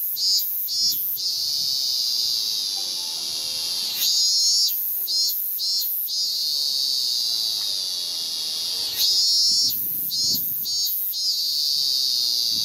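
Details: Male ming-ming cicada, Hyalessa maculaticollis, singing loudly on a cherry tree trunk in Japan, early August 2018, to attract a female; a continuous high shrill drone that pulses and surges every few seconds, with faint piano practice nearby.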